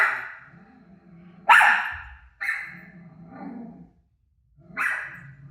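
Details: Pet dog Rosie barks at her televised self. Three sharp, loud barks stand well apart, with a low rumbling sound and softer murmuring between them, and a quiet moment before the last bark.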